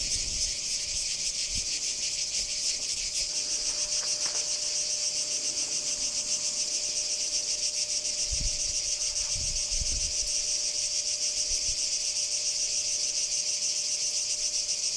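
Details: Singing cicada from Kardamyli, 2013, producing a sustained, harsh high buzz with rapid even pulsing throughout, over faint low rumbles and a steady background tone.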